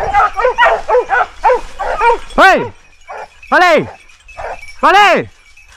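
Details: Hunting dogs with a large wild boar at bay in Ribagorza, Huesca; a run of short barks, then three long arching howl-like cries, each sliding up and falling away.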